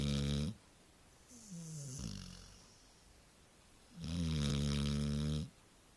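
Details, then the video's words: Sleeping Labrador Retriever gives two heavy, rumbling snores about four seconds apart. Between them comes a softer, wavering whistled exhale. "Snoring Labrador"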